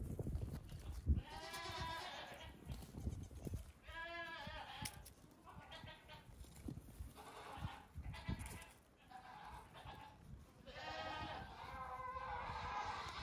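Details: Goat kids nearing two weeks old, let out in the morning for a few minutes of hopping play on a farm; several wavering, nasal bleats with rich harmonics come one after another, with thumps and handling noise underneath.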